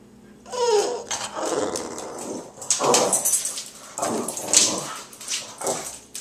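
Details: Male dog growling at a pumpkin while he eats it: rough, noisy rumbling growls in bursts of about a second, roughly five over six seconds, broken by short pauses and sharp crunches.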